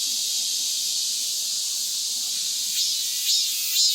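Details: Cicadas singing vigorously after the rainy season has passed: a dense, unbroken high-pitched hissing buzz that holds steady throughout, with a few brief louder swells near the end.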